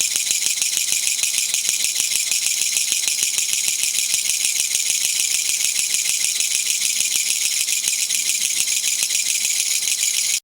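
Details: Kutsuwamushi katydid rattling in a garden in September 2014, released after flying indoors days before and known as gachagacha; steady harsh high-pitched buzzing rattle made of fast clicking pulses, sustained without pause until the abrupt end.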